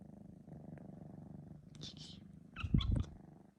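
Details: A male three-month-old Sphynx cat purring after a nap, filmed indoors on an iPhone 12 Pro Max; a steady low rumbling purr pulses throughout, with a brief higher yawn-like vocal sound near the end.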